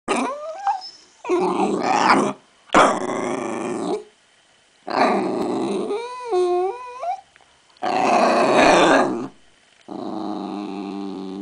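A Jack Russell Terrier lets out growly barks and a wavering, yodel-like whine while impatiently awaiting a treat.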